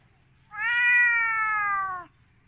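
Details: Angry ginger Siberian cat meowing when shown a hand indoors, a single long drawn-out harmonic meow of about one and a half seconds, steady then slightly falling at the end, over a faint low hum.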